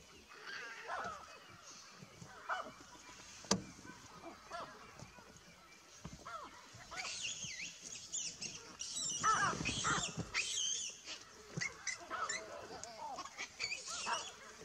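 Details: Baboons reacting as a buffalo arrives give loud, harsh honking barks in bursts, growing busier and more overlapping toward the end.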